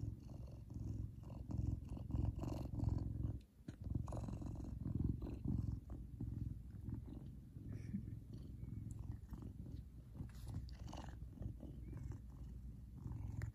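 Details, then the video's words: Kumba, a big male Savannah cat, purring while happy and expressing his emotions; a loud, steady, deep rumbling purr with rhythmic pulses throughout, briefly dipping quiet near the middle, indoors. "Big Cat Has The Cutest Loudest Purr"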